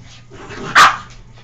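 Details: A dog named Oscar, in a playful wild mood and pestering another dog, Abby, gives a single sharp bark midway, loud and brief, against a faint steady hum.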